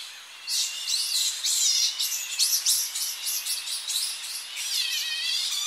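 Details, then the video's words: At dawn on the coast, a colony of Tonga flying foxes settles back into its roosting trees: loud, piercing shrieks and rapid squealing bursts follow one another closely, some calls rising and falling in trilled, wavy tones. "Tonga Flying Fox / Colony. Early Morning As Bats Return To Roosting Trees On Coast. CU Shrill Calls"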